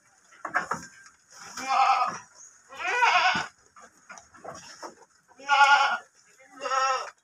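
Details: Rams offered for sale bleat in a series of loud, harsh, wavering cries, about six bursts in seven seconds with short gaps between, over faint background noise.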